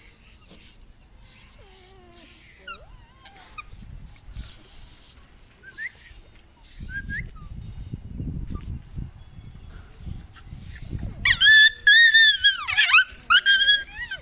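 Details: Indian desi puppies fighting each other; after a long quiet stretch of faint, scattered squeaks, loud high-pitched yelps and wavering whines burst out near the end.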